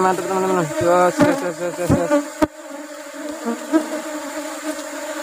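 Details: Asian honey bees (Apis cerana) at a honey harvest while rubber trees bloom. Strong buzzing flight tones in the first seconds give way to a quieter steady hum, broken by sharp taps and thumps.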